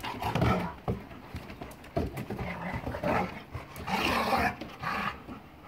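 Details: Playing German Shepherd Boxer mix dogs, recorded January 26, 2021, make continuous rough growls and snarls in irregular bursts, with scuffling and thumps throughout.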